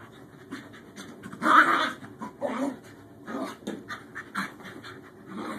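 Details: Newly adopted Scottish Terrier puppy Bjorn playing with his older sister Savannah after an initial tussle: breathy panting and rough, huffing bursts come in uneven spurts, louder around the middle, with scuffling between them.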